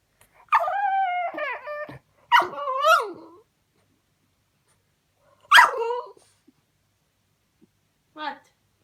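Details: French Bulldog, a pet dog, vocalising when his toy goes under the sofa; a few separate whining yelps and moans with quiet pauses between them.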